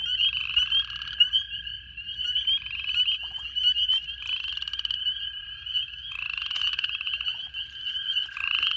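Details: Many spring peepers call loudly at a vernal pond full of toad eggs and tadpoles in February's second week, sharp high rising peeps blending into an unbroken ringing din, with a lower steadier trill, likely chorus frogs, beneath.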